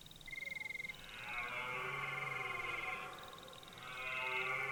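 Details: Red deer stag in a forest at the start of autumn, giving hoarse, powerful rutting bellows: two drawn-out, rough harmonic roars, the first about two seconds long, while steady high insect trills pulse throughout.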